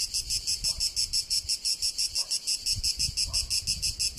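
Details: Cicada singing in Tuscany, Italy: a clean, high-pitched buzz beating in even pulses roughly four times a second, with little background noise.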